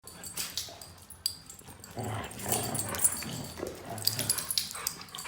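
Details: Siberian huskies wrestling trade rough, rumbling play growls in short bursts, with a husky's sharp sneeze early on.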